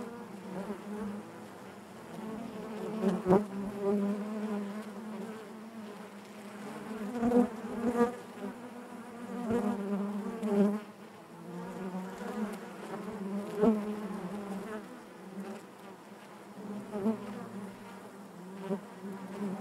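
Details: Natural buzzing of honey bees within the hive, a continuous low droning hum rich in overtones, pulsing louder and softer with occasional sharp clicks and knocks.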